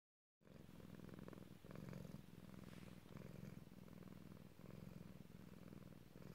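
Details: Male domestic cat, a loud purrer, purring himself slowly to sleep indoors; after a brief silent start, a steady low rumbling purr runs continuously with rhythmic pulsing and slight swells in loudness.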